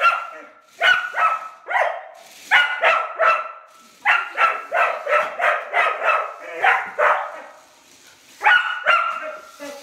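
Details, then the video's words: Female rough collie reacting to a kid's radio-controlled toy car as an enemy, barking repeatedly; bright, clipped barks in rapid runs, one long burst of about eight barks, then a pause and a final pair. "Rough collie barks at a baby car, reaction of a collie dog on baby car"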